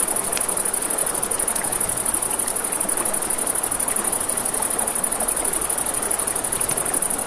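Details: Night crickets beside a river keep up an unbroken, shrill pulsing trill, while a campfire crackles with scattered sharp pops over a continuous wash of river noise.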